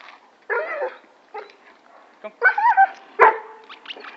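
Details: Blake, a neutered male Weimaraner known for barking at other dogs, lets out a rough yowling bark, short breaks, then a run of whiny barks ending in one sharp loud bark, with people talking nearby.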